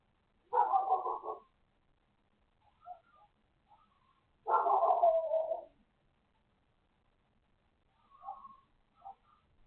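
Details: Neighbour's dog barking for hours: two loud, harsh bark bursts, each about a second long, separated by quieter whimpering yelps and short squeaky calls in between.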